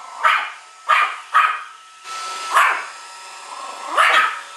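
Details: Indoors, a year-old Pomeranian hostile to the household Roomba gives five bright, clipped barks at uneven intervals while the robot vacuum's motor drones steadily underneath.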